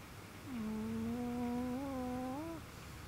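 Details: A Chihuahua snores while sleeping comfortably indoors. It gives a single drawn-out, tonal, whistle-like nasal note lasting about two seconds. The note holds steady, then rises briefly at the end. The room is otherwise quiet.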